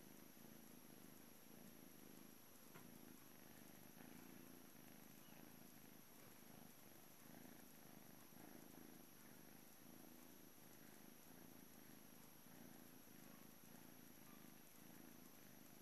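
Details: British Shorthair cat, a blue male kitten at a cattery on the morning he leaves for a new family, purring: a soft, steady low rumble pulsing in even waves throughout, with faint constant high-pitched hiss in the background.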